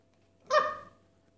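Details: Havanese demanding chicken, giving a single short sharp bark-like yelp, bright and tonal with rising then falling harmonics, in a quiet room with a faint steady hum.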